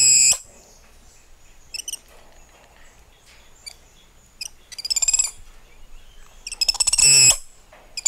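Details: Spider monkeys calling: a sharp high burst at the start, scattered thin chirps, then two long tremulous, rattling screeches with stacked bright overtones near the five- and seven-second marks, separated by quiet gaps.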